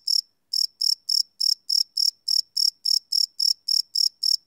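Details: Cricket calling at night, live recording on a Sony PCM D100: crisp high chirps in a rhythmic series of about three to four per second, following a brief pause at the start.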